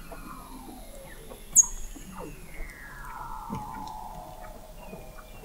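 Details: Under the sea ice of McMurdo Sound, Antarctica, Weddell seals recorded in November 2017 from an observatory 21 m below the ice; a long, faint falling glide stretches across several seconds amid scattered clicks and short chirps.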